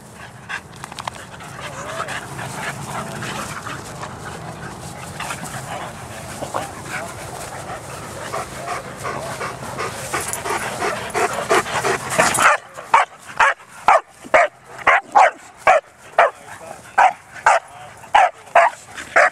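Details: Playing at a dog park, Bearne, an 11-month-old Bernese Mountain Dog: a long stretch of rumbling, noisy background gives way to a steady run of loud, clipped barks repeated about twice per second.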